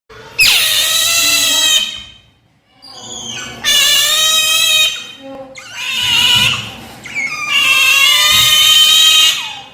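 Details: Pet otters Brownie and Daisy begging for breakfast: four long, shrill harmonic screams, each lasting about one and a half seconds, separated by short pauses, with a few brief squeaks between them, recorded indoors.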